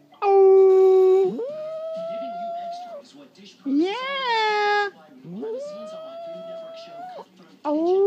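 A dog gives long, drawn-out howls that swoop upward and hold a wavering tone.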